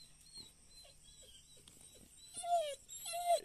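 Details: Labrador Retriever puppy left waiting indoors after being brought downstairs, thinking it is left behind, with soft ticking sounds first, then two loud, high whines that fall in pitch.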